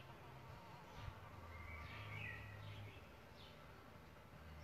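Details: Buzzing from solitary bees at their bug hotel nest: a low hum swells near the middle and holds for about a second, with faint, thin, high calls drifting over it.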